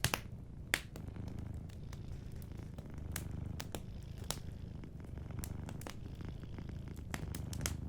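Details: A sleeping cat purring softly by a warm fireplace, a steady low rumbling purr running throughout, overlaid by frequent sharp crackles and pops from the fire.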